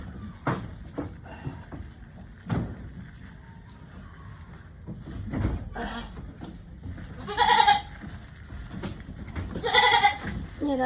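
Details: Mother goat in a difficult labour gives two loud, harsh, wavering bleats late in the clip, with clicks and thumps and quiet human voices in the background.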